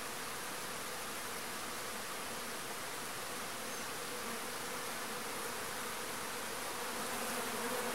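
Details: Agelaia pallipes wasps, known locally as marimbondo-carniceiro, releasing new swarms: a dense, steady buzzing hum with low droning bands under a hiss-like wash of many wings, continuous throughout with no pauses.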